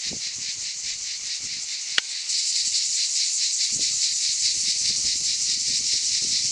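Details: Cicadas in the Aude, France, during summer: a high sizzling buzz with fast regular pulsing, one sharp click near two seconds, after which the chorus grows louder and fuller.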